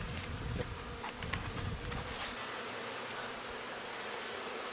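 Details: Newly installed honey bee colony at a hobby-farm apiary in the Cascade Mountains, Pacific Northwest: dense, loud, restless hum, bees upset and in panic after being moved, unlike a settled hive's quiet hum. Western honey bee.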